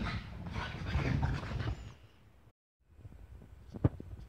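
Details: French Bulldog named Flor, a pet Frenchie: rapid low, rough snorting or panting pulses for about two seconds, then a short silence and quieter breathy huffs with a sharp click near the end.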